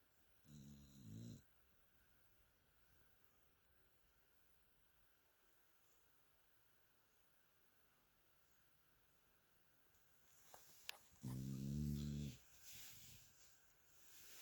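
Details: Mia, a sleeping pet dog, snoring indoors: a low, rattling, pulsed snore near the start, a long quiet pause, then a second louder snore around eleven seconds with a few soft clicks before it.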